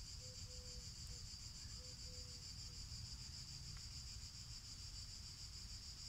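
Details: Cicadas singing while a black cat that likes their song listens; a steady, high, hissing drone runs unbroken throughout, with a few brief soft low tones near the start.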